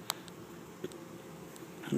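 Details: Honey bee swarm of 6000-8000 bees, captured in a yard in Chico, California, in 2013, walking from a pile on the ground into an empty hive. A low, steady droning hum with scattered clicks, ending in a burst of handling noise.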